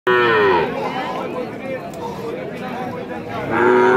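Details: Holstein Friesian cow at a city market in Rajshahi, Bangladesh, giving loud drawn-out moos at the start and end, harmonic and slightly falling, with market chatter and background noise between them.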